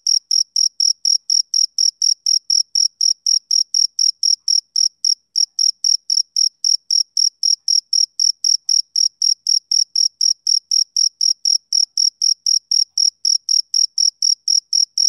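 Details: Summer-evening chirping of a male cricket: a long series of sharp, high-pitched pulses repeated about four times a second, with a single short hitch partway through, otherwise perfectly regular and alone.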